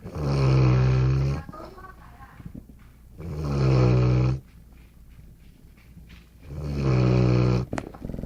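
A Golden Retriever snores deeply, each long rumbling breath repeating about every three seconds.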